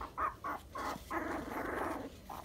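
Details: Dachshund puppies, 23 days old, sandstone colour, giving short whiny whimpers and squeals in quick bursts, then a longer continuous grumbling whine, with a final brief squeak.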